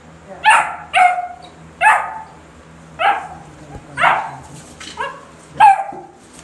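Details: Basset Hound puppies meeting a rabbit for the first time in a barn, one white pup showing interest; six sharp, high yelping barks spaced roughly one second apart over a low steady hum.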